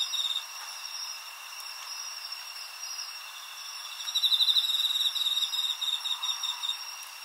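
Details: Field recording of crickets singing on 20 August 2011, made with a Zoom H4n recorder: several insects give dense, high, shrill chirping and pulsed trills. Louder rapid bursts swell midway and then fade into separate chirps.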